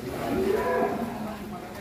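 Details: Leo, a long-bodied bull from Putra Mulia in Bandung, Indonesia, raging on leaving its pen for the first time, gives a low, drawn-out moo of steady tone lasting under two seconds over a muffled background murmur.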